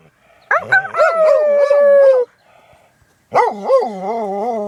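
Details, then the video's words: A pet dog howling while sneezing: two loud, wavering, warbling howls, the first sliding slightly downward over nearly two seconds, a short quiet gap, then a second pulsing howl rising in again, with no other sounds. "Sneezing howling dog"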